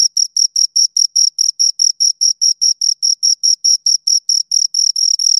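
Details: Steady chirping from two crickets, shrill pulses coming quickly at about four or five per second, roughly twenty-five in a row, evenly loud over a silent background.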